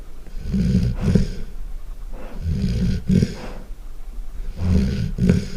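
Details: Deep rumbling snores from a sleeping Golden Retriever, very loud: three rough, gravelly bursts spaced about two seconds apart, each with a snorting catch, over quiet breathing.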